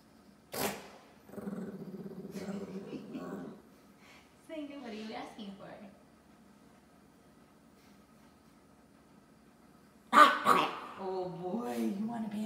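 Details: A Pekingese grumbles and whines in drawn-out, wavering moans, demanding the last pancake while a person talks, Washington.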